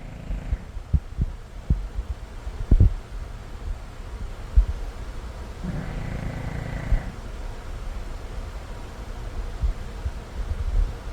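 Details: Martian Pup, a puppy asleep on a patch of sunlight, snoring loudly: deep low rumbling breaths, with scattered short thumps early on and one longer, broader snore about midway.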